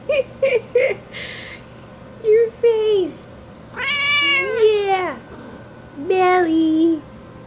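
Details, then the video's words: House cat meowing non-stop at the door during heavy rain; a string of drawn-out meows, some rising then falling, one long wavering wail, interleaved with a woman talking to it indoors. "Meowing at the Rain"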